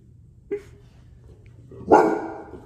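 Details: Seven-month-old Bullmastiff puppy barking at a deer antler on its first encounter with it: a faint short woof, then after a pause one loud, deep, rough bark that fades out, in a small quiet room.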